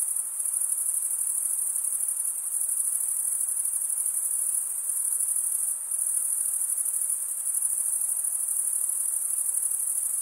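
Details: Continuous cricket chirping: a shrill, rapidly pulsed high trill held at an even level, dipping briefly once near the middle, over a faint background hiss.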